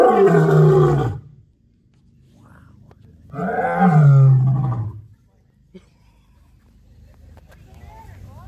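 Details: White lion at a zoo park in Harpursville, New York, recorded on October 15, 2021; two deep, powerful roars, each lasting over a second, with rich harmonics and a pause between them, followed by quieter background voices.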